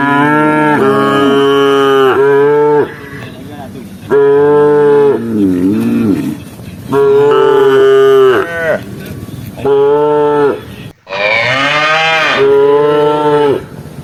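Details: Tame cattle roaming among rice fields looking for grass, a herd calling: a long series of deep, steady harmonic moos, some wavering, with one higher, strained moo near the end.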